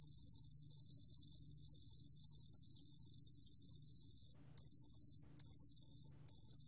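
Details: Korean 루루곰귀뚜라미 cricket, recorded in 2020 by the National Institute of Biological Resources, giving a sustained shrill trill that later breaks into shorter bursts separated by three brief silences.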